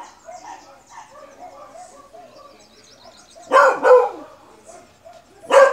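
A Beagle gives three loud, rough barks, two close together and one after a pause.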